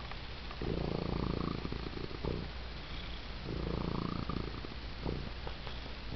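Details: Six-toed male domestic cat purring raucously, like an idling chainsaw, while receiving attention; a low continuous rumble swelling in two long waves, each lasting about two seconds.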